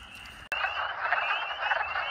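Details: In mid-to-late March, at vernal pools after a snowstorm, a dense early-spring chorus of wood frogs (Lithobates sylvaticus) gives a steady clucking murmur, with a thin, high peeping line of spring peepers above.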